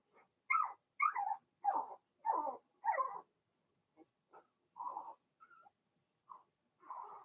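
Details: Cavalier King Charles Spaniel puppies of Blenheim colouring in an indoor pen during potty training; five clear yelping whines in a row, then quieter scattered squeaks and a soft final whine.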